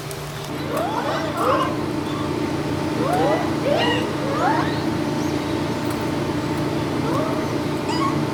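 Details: Japanese macaques at Chausuyama Zoo in Nagano during feeding, giving repeated short rising-falling squeaky calls, several overlapping, over a steady low hum.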